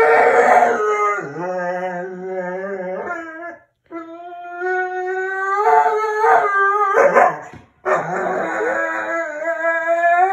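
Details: Pet dog, said to be mad at its owner for not giving her attention, letting out long drawn-out howling whines with wavering pitch in three sustained bouts, each broken by brief yips and gasps, nearly continuous over ten seconds indoors.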